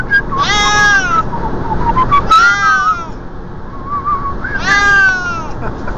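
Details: A Siamese cat riding in the passenger seat of a moving car gives loud, drawn-out meows, three strong ones rising then falling, with softer whiny calls between, all over continuous low engine and road rumble.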